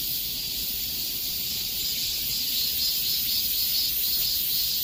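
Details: Cicadas singing in the peak summer heat: a dense, steady, high-pitched shrill buzz that fills the air without pause, swelling gently and fading slightly in slow waves. No other clear sounds.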